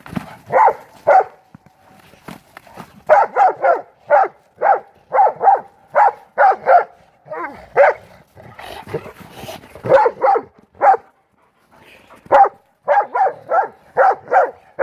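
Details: Two pit bull mastiff brothers at play in Maryland snow, blizzard of 2016. A long run of steady, punchy barks with brief gaps, one burst mixed with rustling scuffles and a muffled voice midway.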